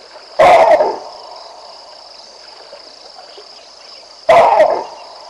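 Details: Baboons barking in alarm at Vincent the lion as he strolls down the Olifants River in the African bush: two loud, harsh barks about four seconds apart over a steady high insect drone.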